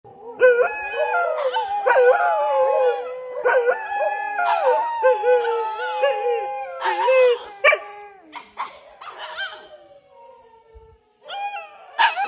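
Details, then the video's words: Dogs howling at night, described as a terrifying night sound: several overlapping long, wavering tonal howls that rise and fall and break into short yelping notes, then fade to near quiet before one more howling burst at the end. "សម្លេងរន្ធត់ពេលរាត្រី the sound’dogs"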